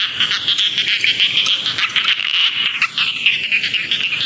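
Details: Rice field frogs giving rapid, raspy pulsed croaks about three per second, overlapping in a busy high-pitched chorus with a faint falling whine partway through.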